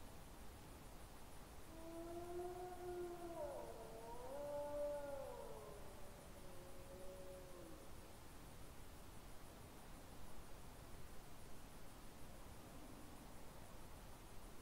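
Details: Evening wolf song recorded 20 September 2022, one animal close and another distant; several overlapping howls waver and bend between about two and eight seconds, then fade to faint noise with a brief distant howl near the end.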